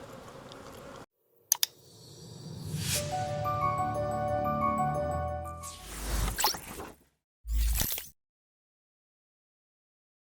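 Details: Soft music and clicking sounds with short bursts of noise and silent gaps, without any animal calls.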